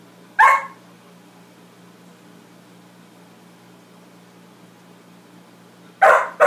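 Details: Dog named Max barking at his reflection: one sharp bark, a long stretch of near silence with only a soft hum, then a quick double bark at the end.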